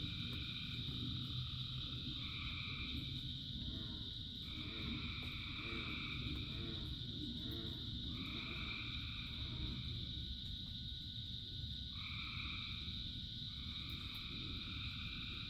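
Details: Frogs in rain, thousands singing: rapid pulsed throaty croaks in bursts lasting a few seconds, against on-and-off trilling bands and a steady high chorus, all over a deep rain rumble.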